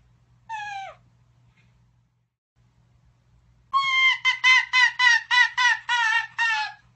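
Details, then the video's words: Arctic fox screaming: one falling, harmonic-rich cry, then after a pause a rapid run of about nine loud, wavering yelps packed close together, each sliding slightly downward, with quiet low hum between. "Arctic fox sounds, arctic fox scream"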